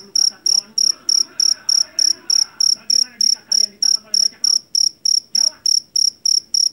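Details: Jangkrik jeliteng, a field cricket from a rice paddy, famed for its shrill call. Bright, high chirps come at an even pace, about three per second, over a soft background murmur.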